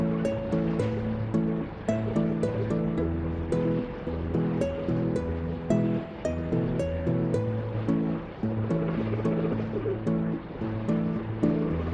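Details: Rhythmic, loud background music with repeating bass notes fills the recording; no animal call stands out.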